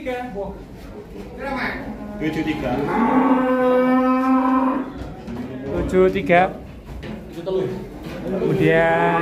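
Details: A jumbo cow in Indonesia lows in a long, level moo held for about two seconds, with short bursts of people talking before and after it.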